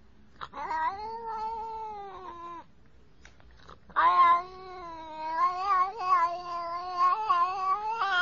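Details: Distressed domestic cat giving long, drawn-out wailing meows while being bathed, two sustained rising-and-falling howls with a short pause between, rich harmonic tone; a person softly reassures it that it is just water.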